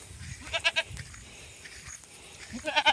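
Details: Goats grazing on grass while being herded in a countryside field: a short, stuttering bleat broken into three quick pulses, then after a pause a second pulsed bleat, over faint rustling and outdoor background noise.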